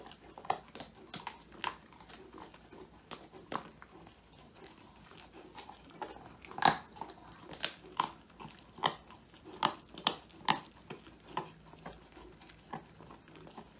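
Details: Male Old English Sheepdog Woody gnawing a whole quail, his first treat, in a small room, captured by phone; bright snapping crunches in irregular bursts, strongest around the middle.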